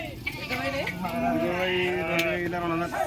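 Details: Sheep bleating at the Pebbair sheep and goat market in 2022: several overlapping wavering, nasal bleats held for a second or more, amid loud crowd chatter and talking people.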